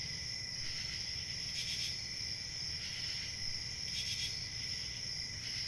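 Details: Crickets chirping in a dense, steady chorus of high-pitched trilling tones, with brief louder shimmering bursts roughly every two to three seconds over a faint low rumble.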